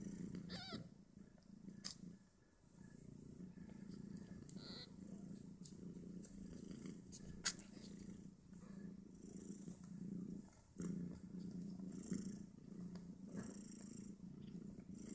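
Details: Five two-day-old Snowshoe Siamese kittens nursing on their mother and fighting over teats; a steady low purr runs throughout, with a brief high squeaky mew near the start and soft rustling and clicks.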